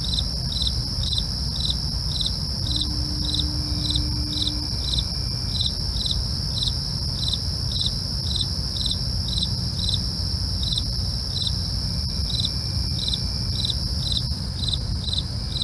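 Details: Steady rhythm of short, high cricket chirps at night, repeating about twice a second without pause, backed by constant shrill insect trilling and low murmuring noise.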